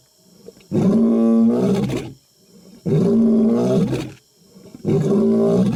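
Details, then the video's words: Huge lion roaring at close range: three loud, moaning roars about one and a half seconds each, rich in stacked harmonics, following one another roughly every two seconds. "HUGE LION UP CLOSE ROARING - MAKING WEIRD NOISES"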